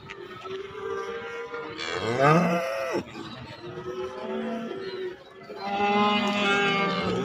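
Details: Young Indonesian cattle, calves and feeder bulls for sale. Quieter, overlapping lowing from several animals: a rising, bending moo near the middle, softer steady calls between, and a sustained harmonic moo at the end, over background noise.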